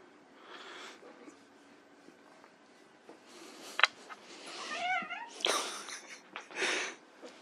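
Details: Playing white Persian kittens produce a wavering, rising-and-falling mew amid rustling, scuffling bursts of noise from their play.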